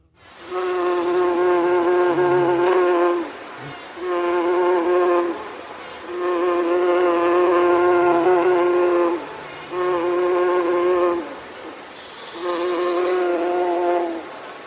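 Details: A honey bee hums in the morning, a steady, rich buzz that swells and fades in bursts of a few seconds.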